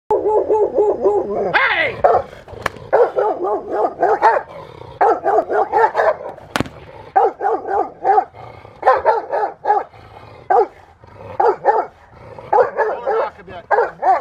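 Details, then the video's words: Rottweiler Freya vh Odom during protection training on November 21, 2021, preparing for IGP1 and Ztp: rapid bursts of deep barks in quick clusters with short pauses, one higher yelp near the start. "Rottweiler protection training"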